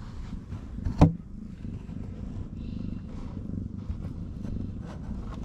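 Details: Stray mother cat in Morocco purring while nursing her kittens and ignoring offered food; a steady low rumble throughout, broken by one sharp knock about a second in.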